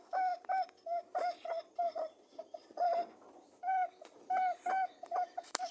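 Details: Rabbits during mating give short tonal honking notes with a hum-like tone, in quick bursts of two or three, repeated steadily across several seconds in a quiet small room.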